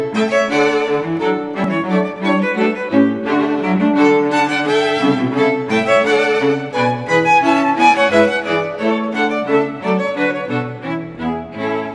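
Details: Lively orchestral string music, with violins and cellos, plays throughout without pause.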